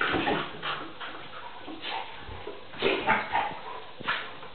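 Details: Tarka, a Vizsla puppy of three and a half months, play-fighting with NooNoo the pointer. Several sharp yips and short barks come in quick bursts over soft scuffling, with a few louder yelps near the end.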